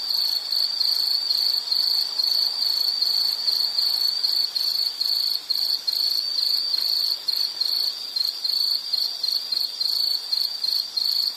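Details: Continuous high-pitched insect chirping: fast, regular pulse trains repeat steadily, with small dips in loudness toward the end. Only a soft background hiss accompanies it.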